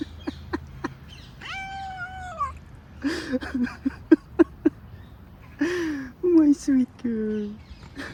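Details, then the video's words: Back scratcher running over a female cat's back draws a single long wavering meow, then a series of sharp scratching clicks, short chirrups and falling squeaky calls near the end. "Cat making weird noises when you scratch her back"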